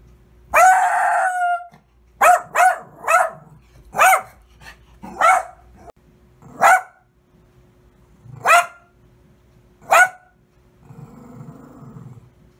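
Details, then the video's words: A dog gives a drawn-out opening bark followed by spaced, sharp single barks roughly every second, then a low rumbling sound at the end. "Dogs Barking and Howling - 4K - Dogs Barking Loud"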